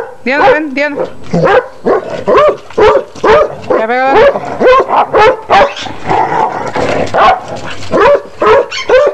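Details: Basset hound barking in quick, uneven bursts, short sharp barks tumbling over one another, with a couple of drawn-out whiny, wavering notes mixed in near the start and middle.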